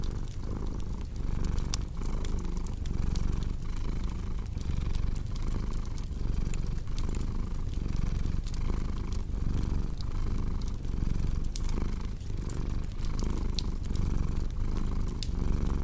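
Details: Cat purring beside a crackling fireplace, a continuous low rumble with gentle rhythmic pulses from in and out breaths, partly masked by frequent snapping fire crackles throughout.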